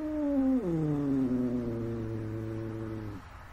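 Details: Rescued cat at home with new toys, giving a long drawn-out meow that starts higher, drops, then holds a steady low tone for about three seconds.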